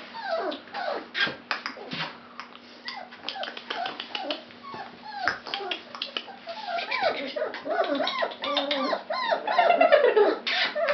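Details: Fawn-coated Labrador Retriever puppies whine and whimper in a rapid, overlapping chorus of high, bent yelps, some rising then falling, which grows busier and louder towards the end.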